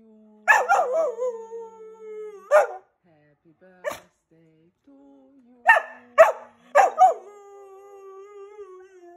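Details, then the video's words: Keeshond dog howling as people sing happy birthday on its fourth birthday, giving drawn-out falling tonal howls and several short yelping howl notes, with human singing voices running underneath between the dog's cries. "howling keeshond"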